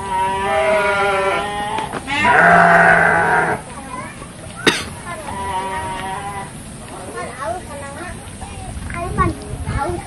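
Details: Garut sheep at a fighting-sheep breeding farm in Dangiang, Cilawu, Garut, West Java, Indonesia, recorded on a Samsung phone: long harmonic bleats in the first half, one loud and strained, then overlapping speech and crowd noise.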